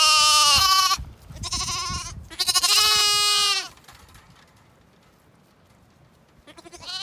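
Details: Zwartbles bottle lambs waking from their snuggle pile and bleating for milk at their owner's approach; a run of three strong harmonic bleats, then near silence, then a faint bleat starting at the end.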